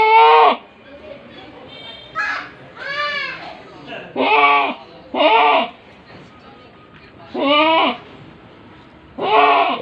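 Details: Large-breed pet goats in Bangladesh bleat repeatedly, loud wavering cries with stacked bands of overtones, about eight calls in ten seconds, some long and quavering, others short, with faint music underneath.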